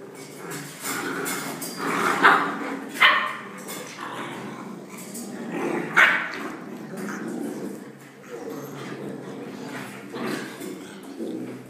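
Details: Rottweiler puppies making a busy mix of high yips, short barks and whines, scattered irregularly with sharper squeaky peaks, over background murmuring of people talking.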